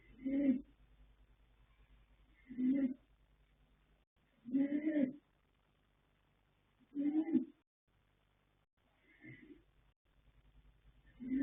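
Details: Asleep, the colt Yanta, foaled 21 January 2026 by Fast Force out of Pink Blossom, snores rhythmically: six droning, buzzy breaths every two seconds or so, one noticeably softer, with hushed pauses between.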